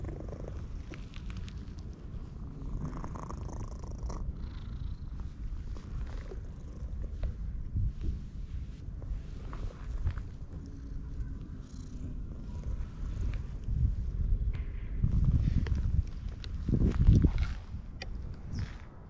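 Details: Orange tabby stray cat, met in a park and stroked by hand, purring very loudly, captured on a GoPro HERO8. A deep continuous rumble pulses steadily and swells strongest near the end, with soft rustling of fur and handling throughout.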